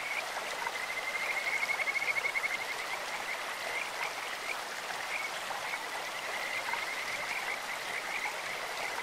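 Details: Kajika frog voices over a flowing mountain stream, a sweet bird-like pulsed trill held at one high pitch early on, then shorter scattered notes, with steady water noise throughout.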